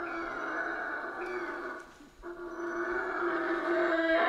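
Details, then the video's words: Central American rainforest howler monkeys sustain a continuous gravelly droning howl, dipping briefly near the middle before resuming and growing louder toward the end. "Rainforest Howler Monkeys Sounds"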